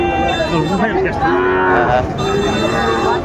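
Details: Sahiwal breed bull calves and other cattle at Ambari livestock market, Dinajpur, 27 May 2024; several wavering, tonal moos overlap in quick succession amid market chatter.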